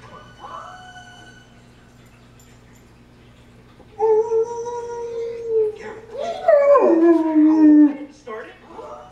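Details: A German Shepherd howling along with timber wolves gives a long, steady mid-pitched tone that ends in a slow downward slide.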